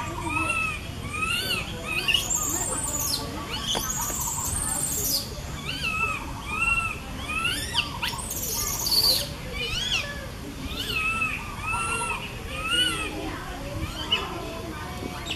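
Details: Baby monkey in a tree calling to its mother, recorded with a Canon SX50HS: a run of short, arched, whistled cries repeated every second or so, broken by a few harsher screeches, with other monkey voices faintly around.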